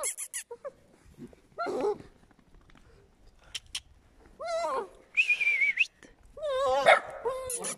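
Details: Eight-week-old puppies from Scarlett and Noeud Pap's litter, heard in short whining, wavering calls that rise and fall, several bursts spread across the clip with quiet gaps, plus a few clicks.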